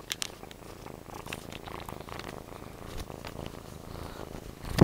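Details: Purring from Jimmy the cat during play, a low, even, pulsing rumble throughout, ending in a sudden louder knock or bump.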